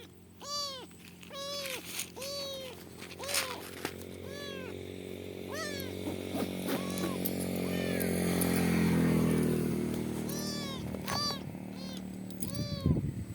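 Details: Kitten found stranded in the middle of a highway and saved by a biker mews repeatedly, short arched cries in clusters, while an idling then revving motorcycle engine grows louder mid-way before more meows return.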